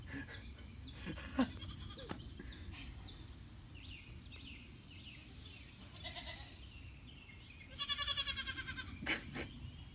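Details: A goat gives one loud, strongly pulsed, quavering bleat near the end. Soft chirps from small birds come through earlier over low background rumble.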